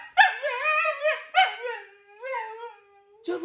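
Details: Husky giving wavering, talkative howls: three short rising-and-falling vocal bursts, then a long, steady, mid-pitched tone that fades out. A sharp sound cuts in at the very end.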